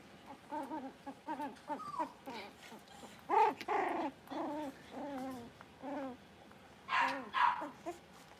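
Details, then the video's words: Litter of five blenheim Cavalier King Charles Spaniel puppies, born around New Year's, playing in a puppy pen at home while learning to bark and howl; a steady run of short, bent, whining yelps, several louder rough yips near the end. "Cute Cavalier Puppies Learn to Bark, Howl, and Play"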